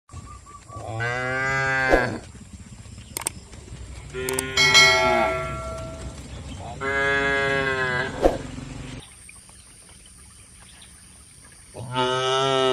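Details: Tame cattle herded toward a wide field in a quiet rural setting. Several long, drawn-out moos with rich harmonics come one after another, broken by short pauses, with faint background rustle between calls.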